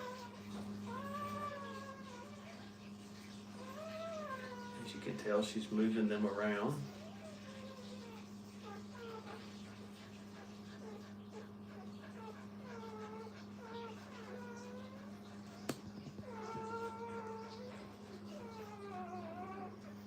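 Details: Brittany puppies beside their mother in a kennel, making soft, rising-and-falling whimpers scattered through the stretch, one brief louder burst of squealing near the middle, and a constant low electrical hum underneath.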